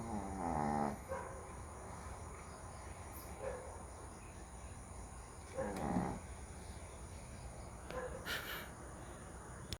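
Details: Sleeping dog outside at night, snoring loudly. It opens with a buzzy, harmonic, drawn-out snore, then softer rasping breaths come roughly every two to three seconds. A constant high-pitched hum is heard beneath.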